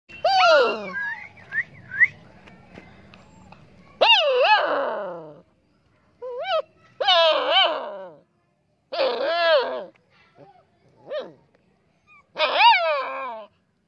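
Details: Saint Bernard puppy crying: repeated high, wavering whines with rich harmonics, arching up and down in short bursts about every one to two seconds, with a few brief squeaks in between; faint low rumble early on.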